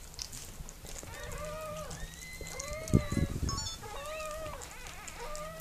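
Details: Mirella, a Miniature Pinscher, giving birth to puppies: drawn-out, tonal, slightly wavering whines in a run of about five, with a short louder rustling burst near the middle and a low hum beneath.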